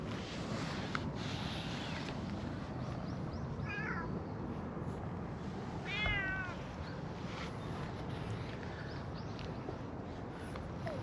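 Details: Stray cats in a park: two elderly cats being petted while a brown tabby cat wanders over. Two short, falling meows near four and six seconds, over a steady low rumble of outdoor background noise.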